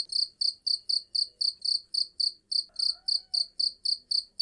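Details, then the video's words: Cricket chirping steadily, bright high-pitched trilled pulses repeated about four times a second in an even rhythm, with a faint brief lower tone partway through. "SUARA JANGKRIK PENGUSIR CURUT"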